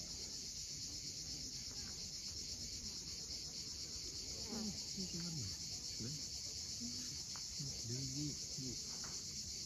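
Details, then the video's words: Cicadas sing at sunset on the coast of Crimea at Cape Fiolent with a continuous high metallic drone. Short low chirping notes, probably birds, are scattered through the second half. "Cicadas at sunset."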